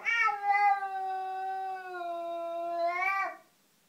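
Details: A cat facing an unwelcome cat in the garden lets out one drawn-out, whining yowl of about three and a half seconds, slowly sagging in pitch, then rising sharply before cutting off.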